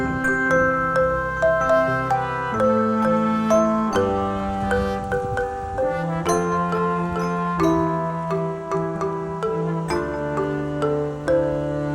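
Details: Gentle chiming mallet music, glockenspiel-like notes over sustained low tones, plays without pause and holds no animal sound.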